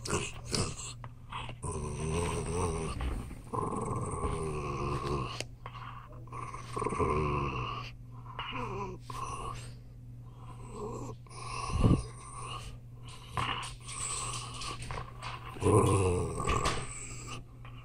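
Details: Possessive 14-year-old Jack Russell Terrier growling indoors: long, low rumbling growls rise into strained, whiny tones, pausing briefly and starting again in waves over the stretch, with a few sharper louder bursts near the end.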